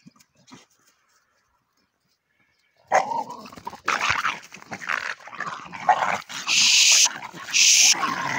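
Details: Miniature bull terriers, a male and a female, fighting after one found an old bone while the dogs were playing; the male suddenly launched at the female. After about three seconds of quiet, harsh bursts of snarling and growling follow, with shrill noisy squeals toward the end.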